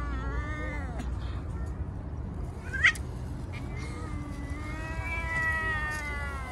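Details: Stray street cat meowing while being petted and fed, with several drawn-out harmonic meows that rise then fall, one near the start and a longer one toward the end, over a low steady background rumble and a brief click.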